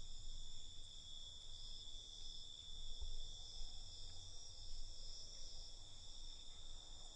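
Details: Night crickets chirping continuously, a shrill sustained buzz layered in parallel bands, with soft low-frequency rumble underneath.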